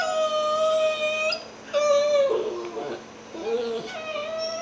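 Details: Two pet dogs, a dachshund and a cockapoo, tired and playing together in bed before their morning nap; long, steady, high-pitched whines held over a second each, then lower wavering, dipping whimpers in a quiet room.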